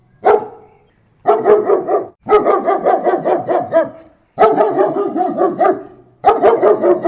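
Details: Close German Shepherd barks coming in fast, gruff volleys: a single bark, then four runs of rapid repeated barks with short gaps between them.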